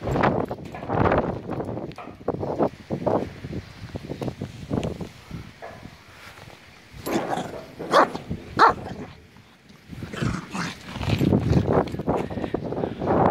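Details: Puppy being played with, giving short, sharp barks and yips in rapid irregular bursts, a cluster in the first five seconds, a few more around eight seconds, then a dense run near the end, separated by quieter pauses.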